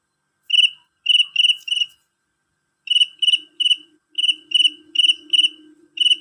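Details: A male cricket sings shrill and strong: short pulsed chirps in groups of three or four, a brief silence, then regular chirping again. A soft low drone sits underneath.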